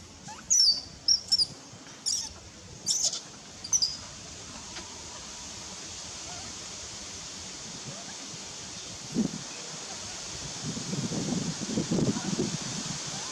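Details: Baby monkey Nelson, hungry and angry, begging its mother for milk with piercing high squeals, five short bursts in the first four seconds, followed by quiet rustling and low background noise.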